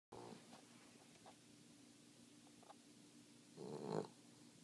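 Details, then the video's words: King Charles Spaniel snoring in its sleep: a short raspy snore at the start, faint clicks, then a louder rattling snore near the end, over a low steady hum. "Snoring King Charles"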